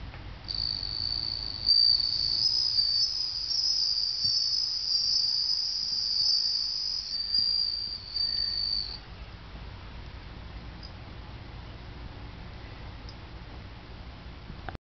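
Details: Summer song of a bell cricket kept indoors, heard while the household pet Clara listens for the first time: a bright, high ringing trill for about nine seconds, then it stops, leaving only faint room noise.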